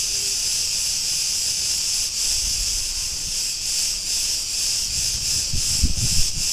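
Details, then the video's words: Cretan cicadas in a street in Ierapetra, Crete, Greece, keep up a steady, high, hissing buzz that swells and pulses slightly throughout. "Cretan cicadas sounds — Sleep & relaxation"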